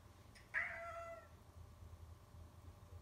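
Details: Pet cat meowing at its owners: one clear, slightly falling meow lasting under a second with strong harmonics, preceded by a faint brief chirp, then quiet room hum and a person asking a short question.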